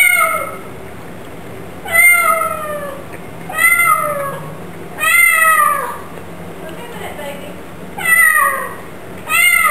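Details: Chatty pet Bengal cat meowing repeatedly: six strong descending meows, each starting high and sliding downward, coming about every one and a half to two seconds with near-silence between them.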